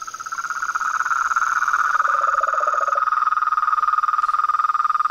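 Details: Frogs, toads and treefrogs at a pond at nightfall: fast, regular pulsing croaks, about four per second, building in loudness, with a lower-pitched caller joining briefly and a thin high tone above.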